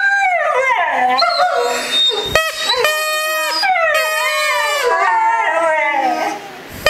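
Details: One-year-old Siberian Husky howling together with a German Shepherd, both answering a whistle; overlapping, wavering tonal howls that rise and fall, with brief breaks and yelping notes between long drawn-out cries.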